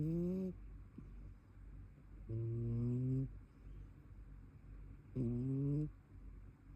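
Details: A brown tabby cat asleep and snoring indoors, giving a clipped snore, then two fuller humming snores of about a second each, slightly rising, roughly every three seconds, amid quiet room tone.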